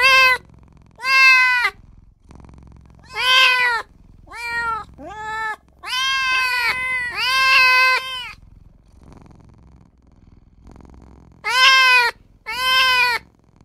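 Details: Little newborn kitten crying for mother and owner, a rapid run of about eleven short, high, harmonic mews, some arching in pitch, grouped in bursts with brief pauses and a quiet spell near the middle.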